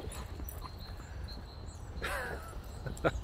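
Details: Boxer dog Rex, a talkative dog in a hurry to play outdoors with his little brother Sammie, gives a short harmonic whine that rises then falls for under half a second midway, over a steady low outdoor rumble, with a sharp click near the end.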